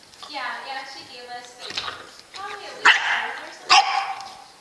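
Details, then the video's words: Pet dog giving a long whining howl followed by sharp barks, two loud bursts near the end, with human voices faintly mixed in. "FUNNY DOG,S"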